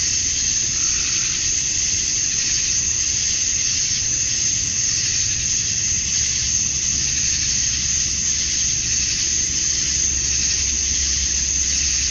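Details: Male cicadas in Georgia, USA, calling for females during a summer dusk: a constant intense high-pitched buzz sustained without break, its texture gently wavering, with quiet low-frequency rumble in the background.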